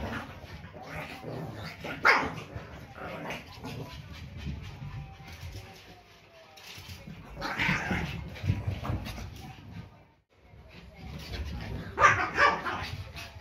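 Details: Pekingese pair Peko and Poko, one year and under one year old, woof at a squeaky toy indoors, October 2018. Scattered yaps come in three louder clusters spread across the clip, with pattering movement and room noise in between.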